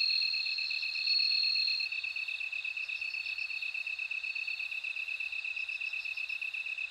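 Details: A loud, bell-like trill from a bell cricket opens, then breaks into quieter rhythmic chirps repeated several times a second, while a continuous high insect drone runs underneath.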